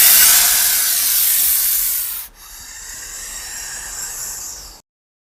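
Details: King cobra giving a warning hiss, heavy breathing sound: a loud airy hiss for about two seconds, then a softer, quieter exhalation hiss trailing on before ending abruptly.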